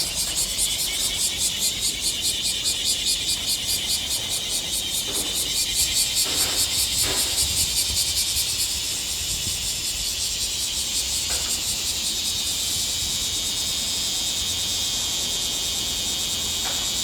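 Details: Bear cicada singing in midsummer: a loud, dense, harsh metallic buzz pulsing in quick regular throbs, roughly two to three per second, steady for the whole stretch, with a few faint low knocks in the background.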